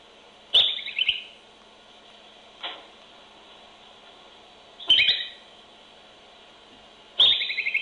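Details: Groundhog sounds captured by a baby monitor beside a burrow in a barn: short, sharp high chirping whistles with quick trills, coming in bursts a few seconds apart, plus a faint click and steady background hum.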